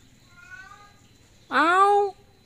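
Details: Stuck up on the roof tiles with no way down, the cat Miko lets out one loud, drawn-out meow that rises and then falls, preceded by a softer, steadier meow over quiet background hum.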